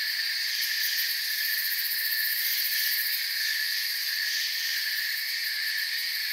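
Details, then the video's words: Crickets in a forest, a dense steady chorus of shrill chirping forming several continuous high bands, unbroken and even in loudness throughout, with no other distinct sounds. "Forest Sounds and Crickets"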